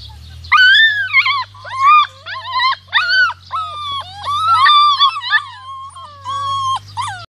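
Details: Rhodesian Ridgeback puppies, 46 days old, in the garden with their mother: a chorus of loud, high, wavering howls and yelps, rising and falling in quick overlapping bursts, over a steady low hum.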